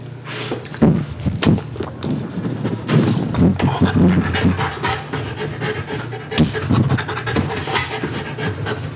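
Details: A French Bulldog laps up pumpkin purée from a spatula. Close, loud, irregular wet smacks and lip sounds mix with quick breathy panting, all over a faint background hum.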